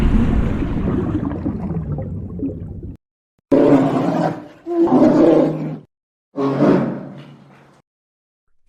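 A polar bear gives deep, rasping roars and growls in several drawn-out bursts.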